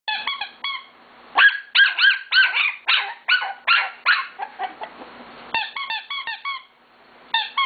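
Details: Five-week-old female Scottish Terrier puppy barking in protest at a squeaker used to get her attention while being photographed. Bursts of sharp, high yaps alternate with clusters of the squeaker's rapid, repeated squeaks indoors.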